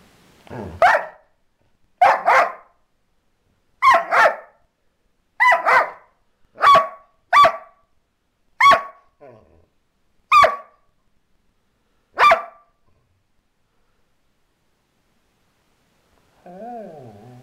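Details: A Border Collie barks and snarls at the person recording, a series of sharp, harsh barks, each a short burst with a rough edge.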